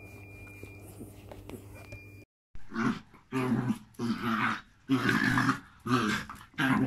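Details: A Jack Russell and a Malinois put together indoors. After a moment of quiet room hum, loud rough growling bursts come about once a second, each harsh and throaty, broken by short pauses.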